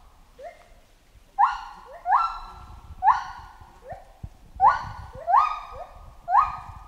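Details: Chimpanzee calls: a series of loud, rising hoots with strong overtones, each sweeping sharply upward and then holding steady. Spaced irregularly, roughly every second, some softer and some louder, over a faint low rumble.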